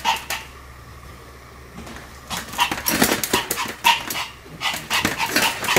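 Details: Pomeranians Sam and Marin in a barking duet: a quiet opening, then bursts of shrill, overlapping yaps packed closely together over the second half.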